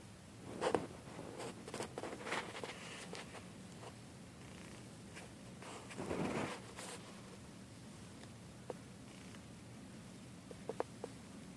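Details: Mittens, a pet cat, snores while asleep: soft, breathy rasping bursts come in loose clusters, strongest near the start and again around the middle, then fade to quiet breathing with a few small clicks.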